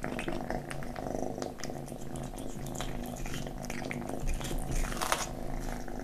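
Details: Domestic kitten purring while it eats, recorded close indoors; a continuous low buzzing purr with stacked harmonics holds throughout, broken by sharp, irregular crunching and licking clicks.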